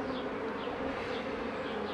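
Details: Honey bees buzzing at the hives while a beekeeper works them in 2018; a dense, steady, low droning hum with no breaks, thick with overlapping wingbeats.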